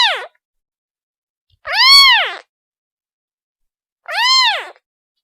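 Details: Kitten crying for its mother: a clipped meow at the start, then two full arched meows about two seconds apart, each swelling and fading, with quiet in between.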